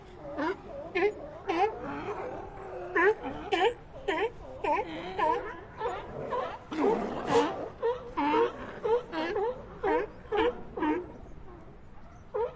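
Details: Sea lions calling in an ambient soundscape: rapid, fairly regular short harmonic barks, nearly two a second, with wavering yelping tones and a brief louder noisy burst midway.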